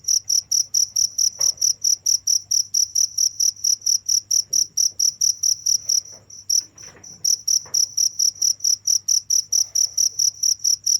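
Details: Cricket chirping nonstop: rapid, regular pulses of a high, bright tone repeated several times a second, with a brief pause near the middle, over a faint low hum.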